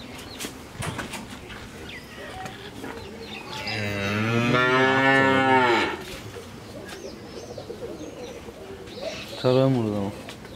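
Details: Friesian heifer calf, fourteen months old, from Pabna, Bangladesh, gives one long, deep, harmonic moo lasting about two seconds, then a short second low call near the end over steady background noise.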